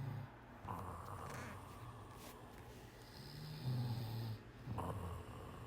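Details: Sleeping cat snoring softly: low, droning snore bursts at the start and again near the middle, separated by quiet breathing over a steady background hiss.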